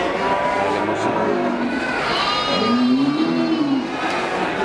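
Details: At the Kliwon cattle market in Kudus, Central Java, among Simmental, Limousin and Brangus beef cattle, one long, low moo swells and then falls away over market talk and faint music.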